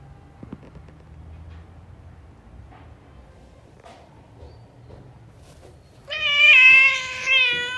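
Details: Indoor Persian Angora cat during the birth of a litter in a box: after several seconds of near silence, one loud, harmonic-rich meow that rises then falls, trailing into a shorter second note.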